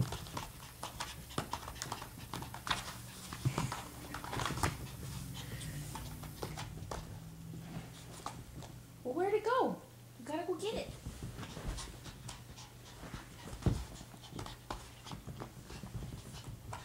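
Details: Remy, a pet Chihuahua showing off tricks indoors for Cinco De Mayo, gives two short high yipping barks about a second apart, each with a rising then falling pitch. Handler speech and scuffling are heard earlier.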